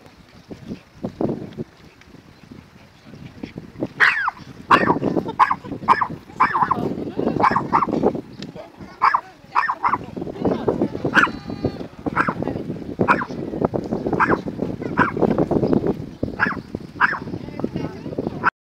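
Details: Minnie, a dog, barks at the statue of Charlie Chaplin in Vevey, saying hello: a run of sharp, loud barks repeated roughly every half second to second, with some whimpering notes and human speech mixed in.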